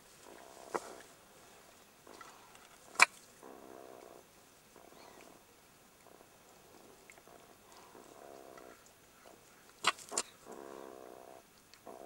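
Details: Young jackals in their burrow, being attacked and harassed by a meerkat, give soft, repeated growling whines in short harmonic bursts, with a few sharp clicks.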